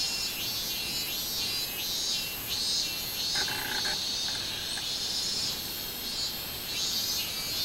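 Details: Summer song of a minmin cicada, recorded 24 July 2016: rapid, piercing pulses repeated in a rolling rhythm, high and buzzy, with a short soft tonal sound partway through.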